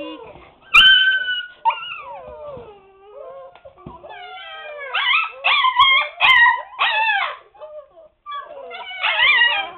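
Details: Husky pups aged seven weeks, penned up while the house is cleaned. A long, steady whine slides into a falling, yodel-like moan, followed by bursts of short, choppy yelping howls with brief gaps between them.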